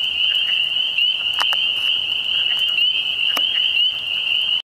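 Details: Frogs produce an unbroken high, even trilling hum that stays at one pitch, with a few soft clicks. The sound cuts off abruptly at the end.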